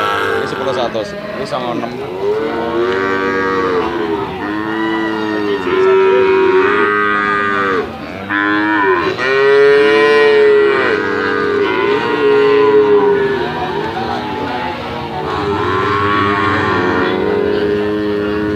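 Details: Several medium-sized Bali cattle ready for slaughter at a livestock market low in long, drawn-out moos. Many calls overlap and follow closely one after another, with steady tones and bowed, gently falling ends.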